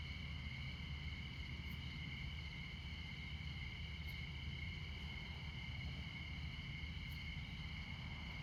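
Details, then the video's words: Montana crickets at midnight keep up an unbroken, shrill, stacked trill. Distant interstate traffic rumbles low throughout, with a few faint clicks. "Midnight Montana Crickets"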